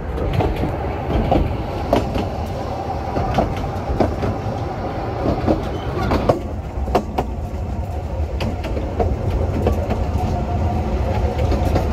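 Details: Rumbling train carriages with steady clickety-clack and sharp wheel knocks, a loud, continuous low-pitched roar and no animal voices.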